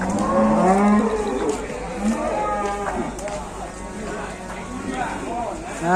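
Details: A sick cow with mucus discharge gives a low, drawn-out moo in the first second, then shorter, weaker lowing sounds, over steady background noise.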